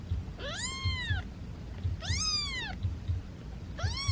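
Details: Domestic cat uttering three arching meows, each rising then falling, roughly every one and a half seconds, over a low rumbling background noise.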